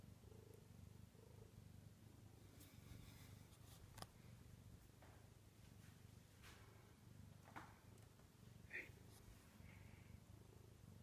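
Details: Bengal cat indoors at night, not wanting to go to sleep, perched on top of kitchen cabinets: a steady low rumbling purr runs continuously throughout, with a few faint soft chirps and light clicks above it.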